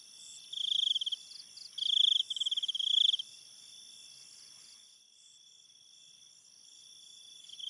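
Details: Crickets at night in a forest setting: bursts of rapid, pulsed high chirping, three loud trills in the first half, then fading to a softer steady high-pitched insect drone beneath.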